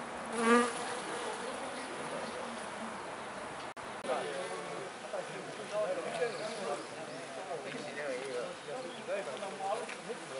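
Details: Swarm of Japanese honey bees around flowering cherry trees in Niigata on a warm spring day in April 2020; continuous droning buzz of many insects, one close bee passing loudly at the start, then a fluctuating, softer hum.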